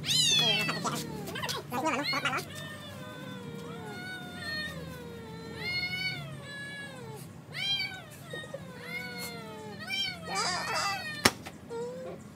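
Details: Two cats fighting over a female in a village. Long wavering, high-pitched yowls slide up and down and overlap in a steady caterwaul, with sharper bursts at the start and near the end.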